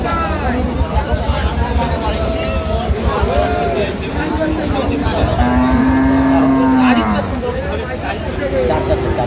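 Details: Thin dairy cow at the Aftabganj cattle market, 1 November 2025, letting out a short low moo that dips at its end, heard amid continuous men's voices and general market noise.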